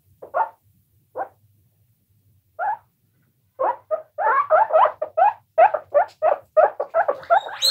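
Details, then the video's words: Guinea pigs squeaking, several of them: three isolated short squeaks spaced apart, a pause, then a dense burst of quick, chirpy squeaks repeated in close succession, ending with a higher shrill note. "Guinea Pigs Squeaking For 1 Hour"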